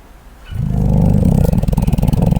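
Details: A koala asleep gives a deep guttural snore, a throbbing low rumble of fast rasping pulses that swells and holds steady.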